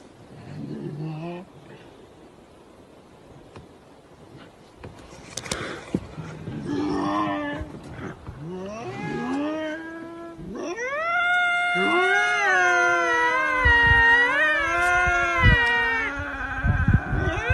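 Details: Striped hyenas communicating with each other: low grunts and growls at first, then a mix of rough yelps, ending in long wavering, whining howls with rising and falling pitch.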